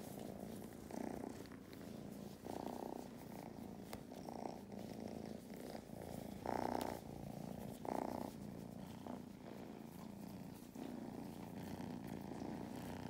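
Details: Purring from kittens Mustard and Thyme relaxing on a lap at a County Kilkenny farm in Ireland. A continuous motor-like rumble rises in brighter bursts with every inhale and exhale, with occasional small rustles.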